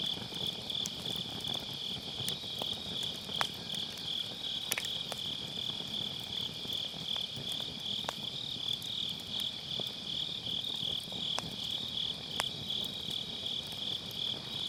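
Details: Grass insects calling on an autumn night beside a round fire pit, recorded with a Sennheiser MKE600 using low cut: a dense, steady high trill of overlapping pulses, with sharp crackles and pops of burning firewood scattered throughout.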